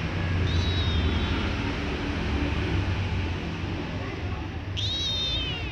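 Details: White kitten that often meows, beside a calmer black kitten: two thin, high meows, the first slowly falling and the second rising then dropping, with loud steady broadband noise underneath.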